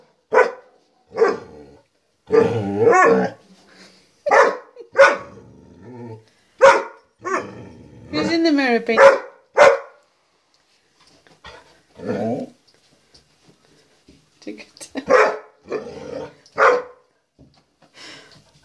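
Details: Penny, a young female dog, barks at her own reflection in a walk-in closet mirror, tail wagging. She gives sharp, short barks, some running together into growly bursts, with a pause midway. A person's voice is also heard.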